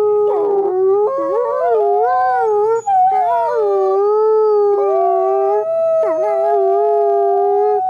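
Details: Two captive-born gray wolves, Silas and Nikai, howl together on a clear autumn day at a wolf conservation center in South Salem, New York. Their long, steady voices overlap at different pitches.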